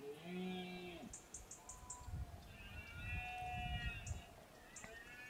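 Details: Red deer during the berrea, the September–October rut and breeding season in the Sierra de Villarrubia, Montes de Toledo, Spain: a deep harmonic roar of about one second, then fainter drawn-out roars, with high, quick repeated chirps and a low rumble behind.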